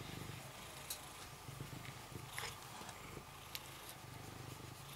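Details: Rysiek, a cat kept in an isolation room at the Milanówek animal shelter, purring while being stroked: a steady, low, rumbling purr throughout, with a few soft clicks and rustles of handling.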